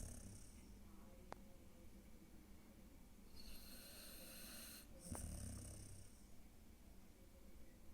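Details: A pet dog snoring while asleep, giving a low rumbling, irregular breathing noise with a brief hiss partway through and faint background hum.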